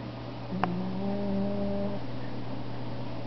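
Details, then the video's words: Domestic cat snoring while asleep on a window sill: one drawn-out, low, tonal wheeze lasting about a second and a half, over a steady low electrical hum in a quiet room. "My snoring cat"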